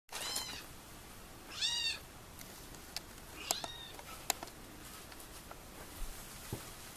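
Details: A kitten meowing indoors: two short, high, arched meows, the second brighter and slightly longer, then several seconds of quiet broken only by sharp clicks and taps.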